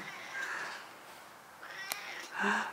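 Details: A ten-year-old stray cat conversing with a grandmother, giving short meows spaced apart, with a woman's voice and a sharp click in between.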